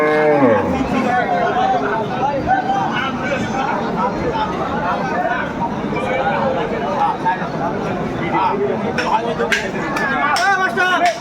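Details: Dairy cattle of improved breed, cows and calves, at Aftabganj cattle market in Dinajpur, Bangladesh, on 30 July 2024. A short, low moo falls away in pitch at the start, then heavy crowd chatter and bargaining voices fill the rest.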